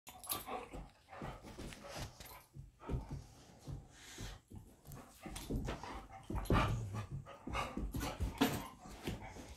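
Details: Old golden retriever, aged 13, and kelpie, aged 14, playing together in a home office to remind their owner it is time for a walk; rough, low grumbling growls and scuffling bursts with short panting breaths throughout.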